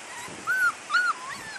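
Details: Labrador Retriever puppies from a mixed chocolate, black and yellow litter giving two clear high-pitched whimpers about half a second apart, with faint softer squeaks around them.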